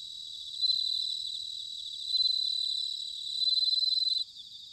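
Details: Bell crickets singing in autumn, recorded in Sanuki, Chiba, Japan: three loud, shrill, finely pulsed bell-like trills, each about a second long, ring out over a steady high-pitched insect chorus, the last one breaking off sharply.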